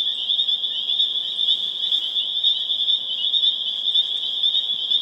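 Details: Massed spring peepers (Pseudacris crucifer) in Harvard, Massachusetts, April 27, 2011: a shrill, steady chorus of overlapping high peeps, pulsing slightly in loudness, roughly two surges per second.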